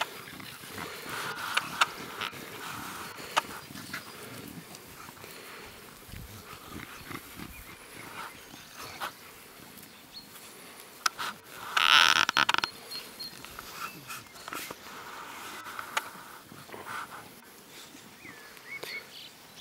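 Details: Six-week-old Staffordshire bull terrier puppies, litter of Fear and Falcon, at a breeding kennel in PACA, France, playing and socialising with adult dogs; a short high whining yelp stands out midway over soft rustling, scattered clicks and faint chirps.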